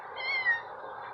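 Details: Domestic cat on its first outing outdoors; a single short meow, rising then falling, over a soft steady background hum.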